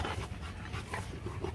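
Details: Rottweiler female from Hưng Yên visiting a Vietnamese kennel to breed with champion Loki; short burst of soft, rhythmic panting breaths, somewhat quieter and muffled, with low background noise.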